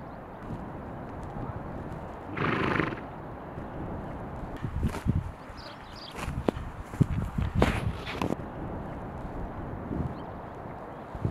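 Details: Horses grazing in spring meadows on Kinburn Spit by the Black Sea shore; a single short neigh or whinny near the start, then irregular hoof clops and thumps through the rest, over steady outdoor ambient background.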